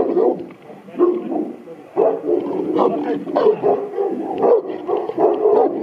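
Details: Buddy, a strong Boerboel at Aubin Boerboels, charges at the camera, giving deep, heavy barks in irregular bursts, each loud blast followed by brief pauses, with some faint speech in the background.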